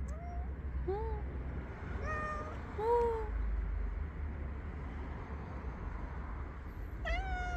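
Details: Angry domestic cat, described as adorable when he meows, utters a series of short rising-falling meows, pitch stepping about, then a pause and one more meow, over low background rumble.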